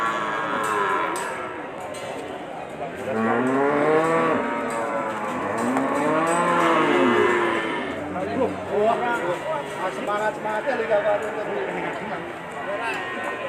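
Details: Bull cattle at the Ambarketawang livestock market, Sleman, presented as sacrificial stock. Several deep arched moos follow one after another, each rising and falling in pitch. Market knocks, voices and clatter fill the gaps.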